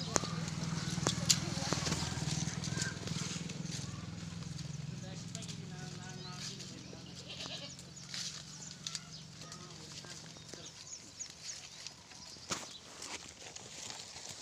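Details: Pateri goat mother with four kids; a few short, wavering, nasal bleats rise over steady talking voices and a low rumbling hum, with scattered clicks and knocks.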